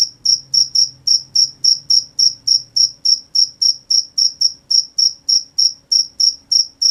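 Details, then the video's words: Night-time crickets chirping in a regular, fast series, roughly three to four short high-pitched pulses every second, evenly spaced and steady throughout, with only a faint low hum beneath. "The sound of crickets at night"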